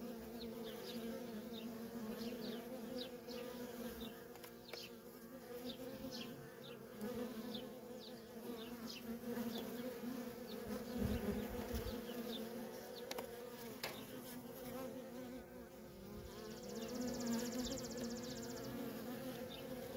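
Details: Nonstop stream of worker honey bees around a feral colony makes a continuous layered hum, swelling slightly at times, while short high chirps, likely distant birds, repeat through much of the stretch.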